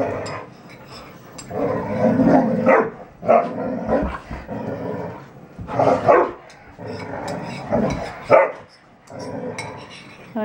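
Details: Three red Standard Poodles, named Betty Jo, Jenny and Cayenne, playing together, one also going after her favourite toy; rough growly play noises and short barks come in bursts across the clip.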